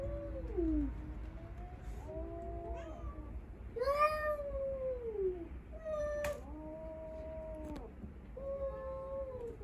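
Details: Quieter exchange during a stray-cat encounter with a household of five rescued cats: short wavering yowls that bend up and down in pitch, clipped sharp cries, and a low rumble underneath.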